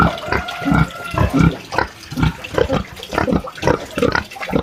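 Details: Country pig in its sty on a small farm, giving short, low, rough grunts in quick succession, about ten bursts over a few seconds, with a faint background of running or splashing water.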